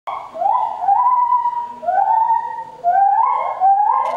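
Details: A white-handed gibbon at Ueno Zoo gives pure, sliding whoops that rise and level off, repeated about once a second.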